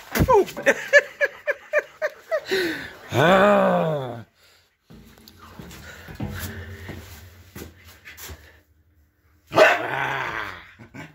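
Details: A husky surrounded by barking corgis, picking up barking from them. A run of quick sharp yips gives way to a long arching howl-bark, then quieter background noise and a final drawn-out vocal burst.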